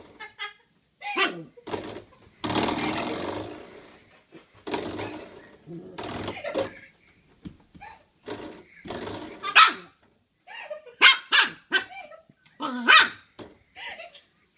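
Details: Playing with a doorstop, a 10-week-old Shiba Inu puppy lets out scattered short, high yaps and squeaky barks, interspersed with bursts of rattling, scraping noise and brief pauses.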